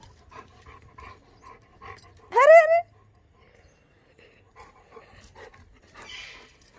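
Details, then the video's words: Pet Labrador Retriever play-fighting with its owner indoors: after soft background noises, one loud, rising, whiny yelp with clear harmonics lasts about half a second, then quiet shuffling returns. "Labrador fighting with mommy not to beat | Naughty Labrador"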